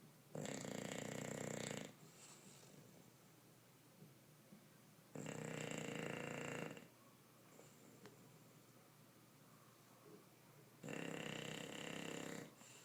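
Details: Bruce, an English bulldog, snores while asleep: three harsh, rasping snores of about one and a half seconds each, coming regularly every five seconds or so, with faint breaths in the gaps.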